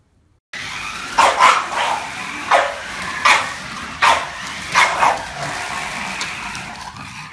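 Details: French Bulldog barking: about seven short, rough yaps at uneven intervals over a steady background hum.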